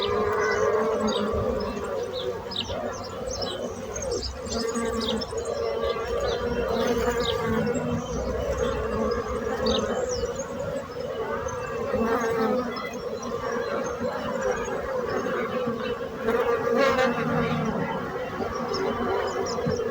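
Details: Dense, continuous droning buzz of many bees with an even low hum, mixed with faint high bird chirps scattered across the recording.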